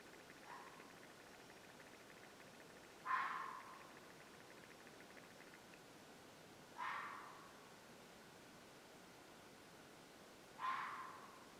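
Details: Suspected mountain lion near a farm, a screechy noise heard about once a month at dusk, close to a planned house site: three harsh, loud screeches spaced roughly four seconds apart, each fading quickly, after a faint earlier cry, over steady quiet hiss.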